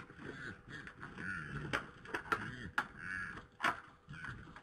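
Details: Red deer stags fighting in Poland on 3 November 2017 at 21:01. Low, moaning grunts rise and fall in a series of arched groans, broken by several sharp clacks. A steady faint hum sits in the background.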